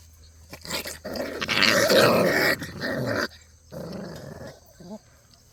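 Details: Cheondori's and Heukhyang's Jindo puppies romp together, one letting out a loud, rough, continuous play growl for about two seconds, then a quieter grumbling growl, with scrabbling paws and a short whine at the end.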